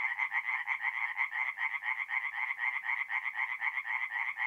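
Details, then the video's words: Tree frogs calling by night at a north-east Italian forest pond in mid-April, a chorus of harsh, fast-pulsed croaks pulsing in a regular beat of roughly two bursts each second, with no other sounds. "relaxing forest pond by night with singing tree frogs"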